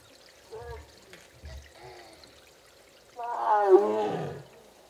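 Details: A female Korean tiger, Mugung, calls during her heat while kept apart from her brother Beom. Two faint, short calls come first, followed by one loud, falling, moaning call near the end, over a quiet background.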